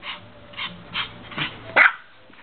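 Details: Two pet dogs, Dacar the Pomeranian and Mikko the Lhasa Apso, playing frisbee; four short, bright yips about half a second apart, then a louder, sharper bark near the end.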